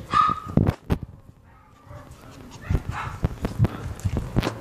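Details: Brown toy poodles, a male and a female, give a brief high whine and a few soft yips amid clattering knocks.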